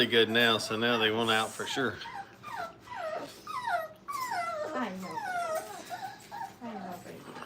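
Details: Brittany puppies, five weeks old, at play in a training kennel: a long wavering whine opens, followed by a run of short sliding whimpers dropping in pitch, repeated at an irregular quick pace.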